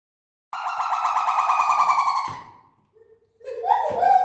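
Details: Several zoo gibbons in the main gibbon house give loud, siren-like hooting calls with a rapid warble, then rising whoops. They are noisy enough that keepers wear ear defenders there.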